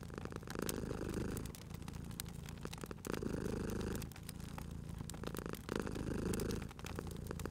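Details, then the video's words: Cat asleep by a crackling fireplace, cozy spring ambience. A deep, steady purr rises and falls in breath-long waves roughly every one and a half seconds, with quiet dips between, under constant snapping fire crackle. "Cute Purring Cat at a Crackling Fireplace"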